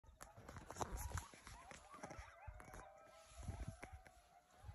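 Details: Coyotes in a faint distant chorus of overlapping wavering howls and yips that rise and fall, with crackling, thumping background noise throughout.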